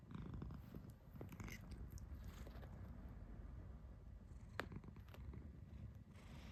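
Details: Domestic cat making its kururu sound indoors: a low, rolling, purr-like rumble that runs steadily through the whole stretch, with faint soft clicks and a sharp tap midway.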